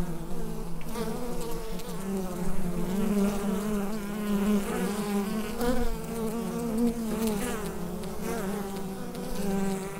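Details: Inside a beehive, the colony's buzz forms an unbroken low hum with wavering overtones and gentle rises and falls, taken with a USB microphone; occasional soft ticks.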